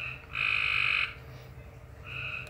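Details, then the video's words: A frog giving an unusual noise: one loud, steady tonal note held about seven tenths of a second, then a softer shorter note a second later, over a low background hum. "Frog making a weird noise"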